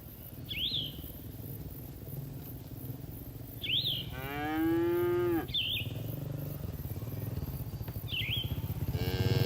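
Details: Cattle grazing in a green field: one long, steady moo lasts over a second, and a second moo starts at the end. Short bird chirps repeat throughout.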